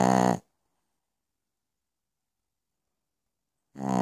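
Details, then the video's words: Pekingese named Piccolina asleep at night, with a short snore at the start and another rising at the end, silence in between. "Piccolina Pekinese schnarcht in the Night."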